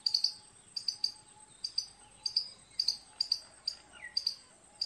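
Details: Squirrel giving piercing, clipped chirps, sometimes doubled, spaced about half a second apart, against a steady high background hum and a faint lower drone.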